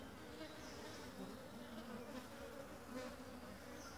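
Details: Honey bees from a new colony with a freshly raised queen, busily collecting pollen and nectar at a home-made feeder; a steady, dense swarm hum with low droning bands and passing louder buzzes of individual bees.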